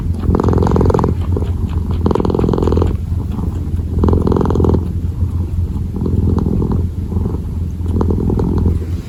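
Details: Close purring from a kneading kitten, a rough low rumble rising in strong waves about twice every two seconds.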